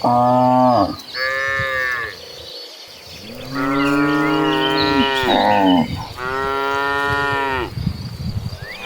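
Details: Dozens of calm cattle walking toward a green pasture give long, deep moos, one after another, with rich harmonic tones.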